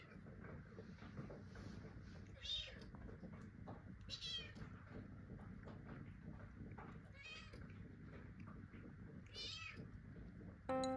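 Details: Kitten calling to its father cat, who is napping inside a cat tower, asking him to move; several short high meows rise and fall against a steady low indoor hum, with a brief clatter at the end.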